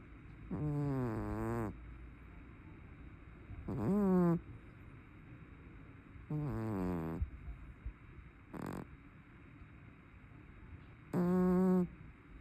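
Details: Fat brown tabby house cat snoring loudly in its sleep: five deep, rasping snores, each about a second long, with pauses of roughly three seconds between them over a low steady background hum.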